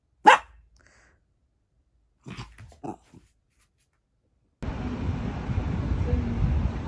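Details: Female mixed-breed dog named Boksung, adopted from a shelter, giving one sharp bark near the start, followed by a few softer vocal sounds and then steady broadband outdoor noise.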